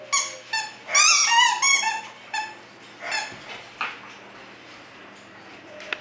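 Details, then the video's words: Bulldog puppies at a Florida kennel give high, squeaky whimpering cries, a cluster of wavering harmonic squeals in quick bursts over the first three seconds, then fainter scattered squeaks and a sharp click in a quiet indoor room. "bulldog puppies"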